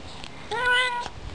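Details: An older domestic cat, described as being a brat and talking back to its owner, gives one drawn-out meow of about half a second, holding a steady, slightly rising then falling tone, in a quiet room.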